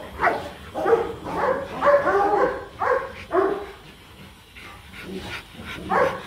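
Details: Rottweilers Marvin Gervi and Kacyno Gervi during a mating session in Hà Nội, Vietnam, a male courting a reluctant female; short yelping barks come in quick bursts about twice a second, then fade, then return.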